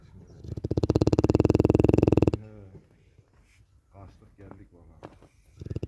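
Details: Cane Corso named Larissa snoring: a loud, rattling buzz made of fast, evenly spaced pulses that lasts about two seconds, then breaks off into people talking over quieter background noise.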